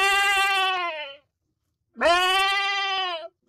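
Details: Goat bleating in two long, loud calls about a second each, separated by a short pause; each bleat is rich and harmonic, slightly wavering, with a rising onset on the second, and nothing else audible in the background.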